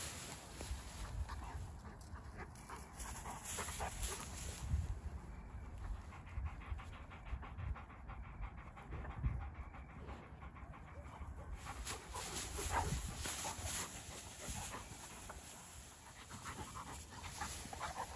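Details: Two Dogo Argentino dogs playing outdoors, panting in quick rhythmic breaths that are clearest midway through, over a steady wash of outdoor wind-like noise.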